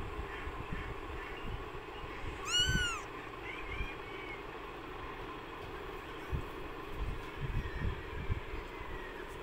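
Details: A newborn kitten, one of several suffering in extreme hot weather, gives a single short, arched meow with bright overtones, followed by faint weaker cries within a constant low rumbling background.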